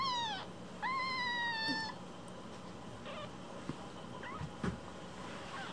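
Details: One-week-old rescued kittens, Cookie and Nan, in foster care: two clear high meows, the second sustained and flat, then only faint squeaks and small handling noises against a hissy indoor background.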